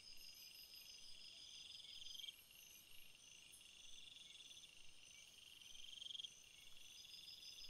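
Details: Field crickets in a chorus of overlapping high chirps and trills; two louder pulsed bursts stand out around the middle and near the end above a continuous shimmering insect drone and faint hiss.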